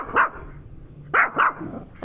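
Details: Penny the dog barking at a turtle: a single short bark, a pause of about a second, then two quick barks in succession and the start of another. A faint low hum sits underneath.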